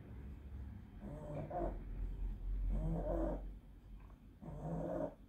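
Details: Pug fighting an epileptic seizure caused by encephalitis: three long, rough, snorting breaths, low and noisy, each lasting about a second with short quiet gaps between them.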